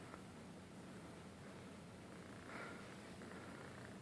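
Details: Sleeping Ragdoll kitten, snoring and sleep talking: faint, steady low rumbling breaths with a soft purr-like texture throughout, slightly louder near the middle, over quiet room noise.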